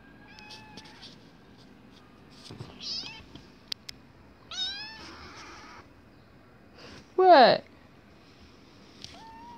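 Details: A two-month-old female kitten in an apartment, just woken, pulling her owner away from work: several short, bright meows with rising and falling pitch, one loud strained cry near the end, and a man speaking briefly.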